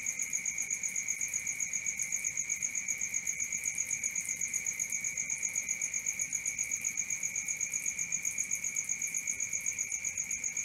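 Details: Crickets at night keep up an even, piercing pulse of high notes, roughly four beats each second without pause; nothing else audible.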